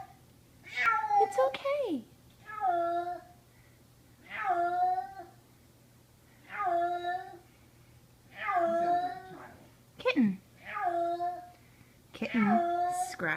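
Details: Terrified kitten, summer 2014, screaming indoors after being brought upstairs; drawn-out harmonic cries with falling tails repeat roughly every one and a half seconds, some breaking into sharp downward yelps, while a person murmurs reassurance.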